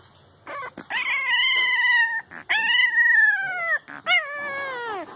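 Puppies let out long, tonal howling cries, each held for about a second before dropping in pitch at the end. Three such wails follow one another with brief gaps between them.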